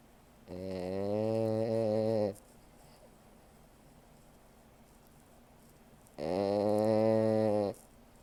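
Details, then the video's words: French Bulldog snoring while asleep: two long, steady harmonic snores about 1.8 and 1.5 seconds each, separated by a quiet pause of nearly four seconds, in a calm indoor setting. "French Bulldog Snoring"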